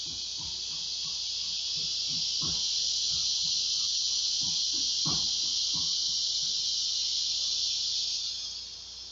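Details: Ear-piercing chorus of large male cicadas calling for females to mate, hot summer midday, August 2, 2016: a dense, unbroken high buzz swells slightly, then fades near the end, over faint low clicks.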